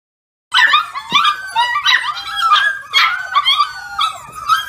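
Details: Foster puppies, older now, waking their owner in the morning: high yips, whines and short barks overlapping in a busy chorus, several pups calling at once after a brief silence.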